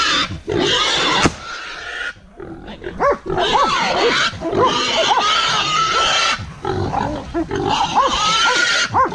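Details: Wild boar confronted by hunting dogs gives long, harsh, high squeals with a sustained tonal line, broken by brief pauses, while dogs yelp in short rising barks throughout.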